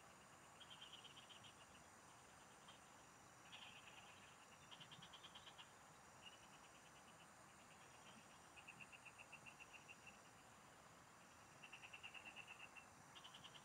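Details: Chorus of frogs in farm fields, captured during a fishing trip: repeated pulsed trills lasting about a second each, several callers alternating throughout, with a constant shrill insect drone behind.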